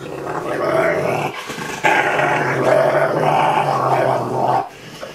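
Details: Ariel the Rottweiler talking while being cuddled indoors: a loud, low, continuous grumbling moan in two drawn-out phrases split by a short break, the voice wavering in pitch, with quiet Norwegian speech nearby.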